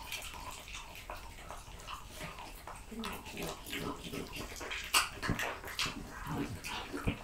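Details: Indoor French Bulldog feeding on raw quail, lamb kidney, diced lamb and beef testicle, giving moist, rapid, uneven chomps and lip smacks with a few sharper crunches near the middle.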